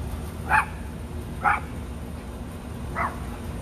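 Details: Two Rat Terrier siblings, Bandit and Jewel, at play in a back yard: three short, sharp barks spaced about a second apart over a steady low outdoor hum.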